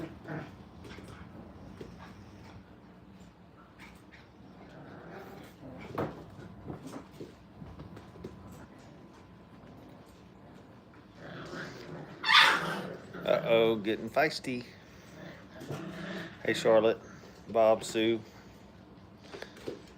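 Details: Five-week-old Brittany puppies, liver-and-white and orange-and-white, playing and getting bossy at a kennel: quiet scuffling at first, then bursts of short, high, harmonic squeals and whines clustered in the second half, over low indoor room noise.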